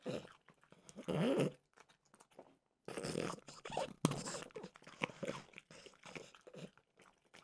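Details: French bulldog Mimosa crunching peanut butter flavored dog treats: a loud chewing burst early, a silent pause, then steady crackling bites and smaller mouth clicks fading out.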